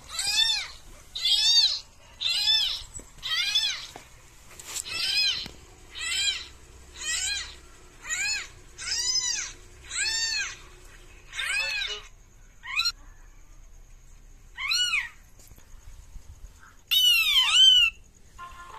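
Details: Pet cat being pranked gives a long run of insistent meows, about a dozen over eighteen seconds, evenly spaced at first, then sparser, ending on a louder, higher, wavering meow; no other clear sounds.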